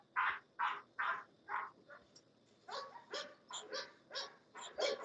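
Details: English Bulldog at the Old Red English Bulldogs Kennel barking in a quick run of about a dozen short, sharp barks over five seconds. Louder at the start, then slightly softer and thinner, while a man calls out encouragingly nearby.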